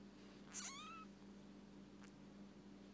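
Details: A healthy baby kitten that has been rescued gives one high, falling meow, then a faint short second cry, over a steady low indoor hum.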